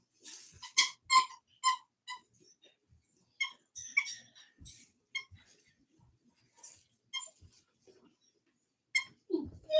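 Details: Cane Corso (Italian Mastiff) at a breeder west of Nashville, Tennessee: thin, high-pitched squeaky whines in short clustered bursts, busiest at the start and returning midway and at the end, with soft thumps and rustling between.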